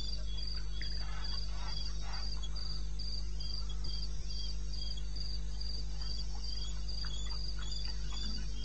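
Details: Cricket calling at 2:30 AM on 21 May '16 in the wilderness of eastern Botswana: high, thin chirps pulse steadily, about three per second, with fainter chirps layered behind and a constant low hum underneath.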